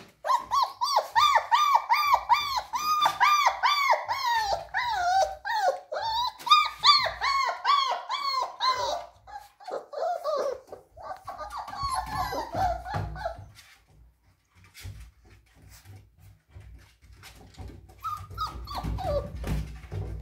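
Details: Whining German Shepherd puppies in Ghaziabad, up for sale, give a long run of steady, arching whimpers repeated more than twice a second for about nine seconds, then thinner scattered whines and low rumbling handling noise as the calls fade.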